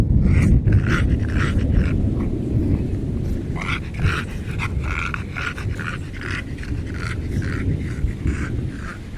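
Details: Pig-like snorts from a fat little dog that is lost, coming as a steady run of short, raspy grunts over a loud low rumble of background noise.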